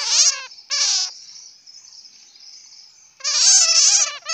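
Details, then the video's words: Two quick, buzzy squeal bursts from a bat, then a softer hissing lull, followed by a longer, louder rasping chatter lasting about a second. "Bat sound ( suab puav quaj)"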